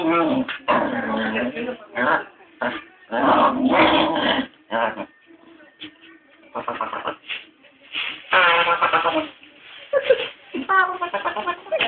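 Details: A dog that loves to mimic sounds makes odd, drawn-out whining and yowling noises that almost sound like talking.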